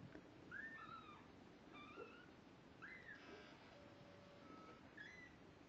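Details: Kittens two weeks old, just beginning to see and walk unsteadily, call with several thin, high mews, some short and some drawn out with a falling end, against a steady hiss of background noise.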